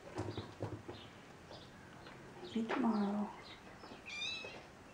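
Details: A kitten gives one drawn-out meow that falls in pitch, following a few soft taps and low murmurs, with a short high squeak near the end.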